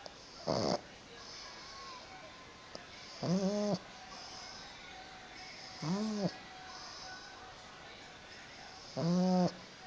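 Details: Sleeping pug snoring: each breath gives a rasping snore with an arching, rise-and-fall tone, repeated roughly every three seconds over a steady background hiss.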